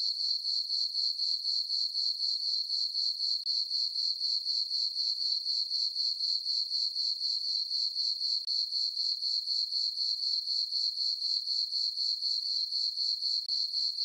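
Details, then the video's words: Night-time crickets chirping across a summer meadow on a farm beneath a full moon, producing a sustained piercing trill in even beats around four per second, no other animals or noises present. "Cricket chirping sounds for sleeping"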